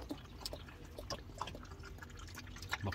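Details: Scattered drips and splashes of water in a small room, with faint background speech.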